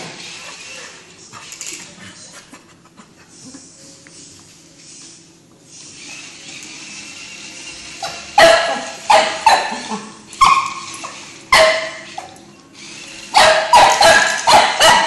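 A Cocker Spaniel gives a run of sharp, loud barks after a quieter, muffled start.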